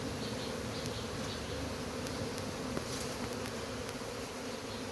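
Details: Even, sustained buzzing of a honey bee colony during removal of its hive, a thick unbroken drone with scattered faint ticks and taps throughout.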